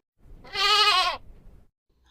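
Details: A goat (Capra hircus) gives one wavering, nasal bleat lasting under a second.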